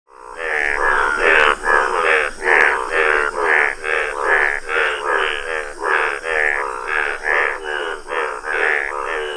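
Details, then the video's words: Indian bullfrog, the yellow form, croaking in a rapid series of loud, harsh, buzzy pulses, about two per second, each rich in layered tones, with a faint steady insect whine above. "Wonderful Indian Bullfrog | amazing frog sounds!"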